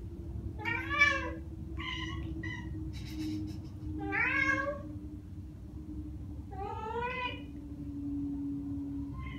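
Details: Chattering from Ragdoll cats Ao and Aki, one year and nine months old, copying birdsong they hear: clipped rising-falling chirps in small clusters, a few seconds apart, over a faint steady hum.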